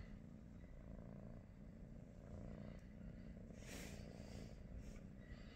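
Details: Morning purring from a British Shorthair, one of the pet cats Pikachu, Teddy and Rosie; a deep, unbroken rumble holds steady, with a brief hissing rustle near the middle and light background noise.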